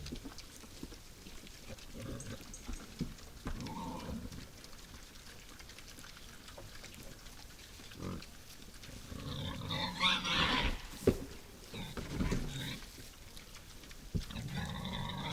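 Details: Wild boars visiting a forest feeder at night: low, rough grunts come in irregular bursts through the first half, then a louder cluster of harsher, higher squeal-like calls around the tenth to twelfth seconds, with rustling and crunching throughout.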